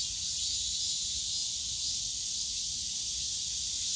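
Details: In Yongsan Family Park's bamboo forest on a summer day, cicadas produce a constant shrill, hissing wall of sound, even in loudness, with only faint low ambient noise.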